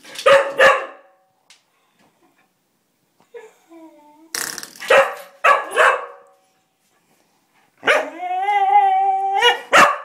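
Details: Cocker Spaniel named Ozzie, a pet dog, crying and barking to play with a door spring after it was pinged: sharp loud barks, then a long wavering high whine near the end followed by another bark.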